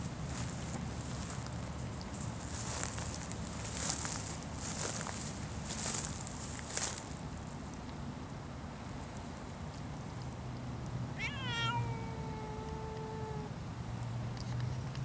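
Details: Savannah cat outdoors, eyeing a stork it wants to catch, with birds and ducks nearby: one drawn-out meow that starts high, falls, then holds a steady lower tone for about two seconds, after footsteps and rustling, over a constant high hiss.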